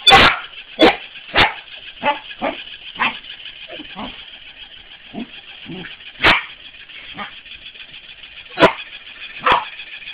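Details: Corgi playing with a mechanical ball, barking in short sharp bursts, loud yaps at the start and then scattered quieter barks and yips over ten seconds, with a steady mechanical whirring hum underneath throughout.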